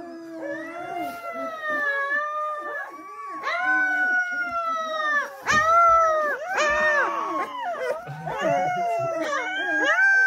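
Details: Several Springador puppies howl in chorus, long drawn-out wavering notes overlapping, some sliding up then down, with short yelping bursts mixed in near the middle and end.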